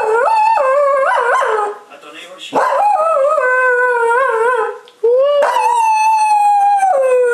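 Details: A 14-year-old female Cocker Spaniel howls in long, wavering, rising and falling tones with brief breaks between.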